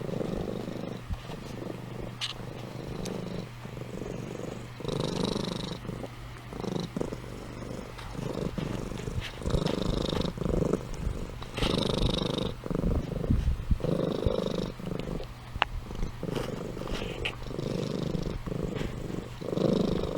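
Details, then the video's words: Amy, a sleeping pet cat, purring and snoring indoors: a steady low rumbling purr with louder breathy snore-like bursts recurring every second or two throughout. "Compilation of Amy Purring & Snoring"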